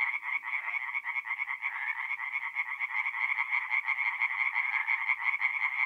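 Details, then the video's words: Night chorus of tree frogs at a forest pond in north-east Italy in mid-April, many rapid nasal croaks packed together into a continuous throbbing wall of sound, several males calling over one another. "relaxing forest pond by night with singing tree frogs"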